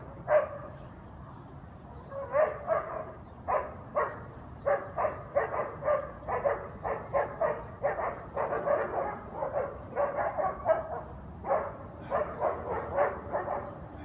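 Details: Nonstop barking of guard dogs early Sunday morning, 7am, on Conti St. in New Orleans; after a quiet start, sharp barks come thick and fast, many dogs overlapping in dense volleys for over ten seconds.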